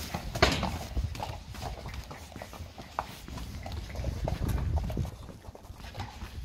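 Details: Friesian horse mares out in the pasture: a loose, uneven patter of dull low hoof thuds with scattered sharper knocks, some steps bunched close together, over a soft background hiss.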